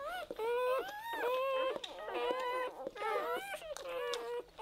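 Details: Newborn Weimaraner puppies, zero to four days old, whimper and squeal in a litter, with overlapping thin rising and falling whines and squeaks coming in quick bursts with short gaps.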